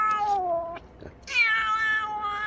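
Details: Kitten crying loudly while being caught for treatment of an eye that had closed and reopened after regular eye drops and cream. Two long, loud, harmonic meows: the first slowly falling, the second starting sharply high and then wavering steadily.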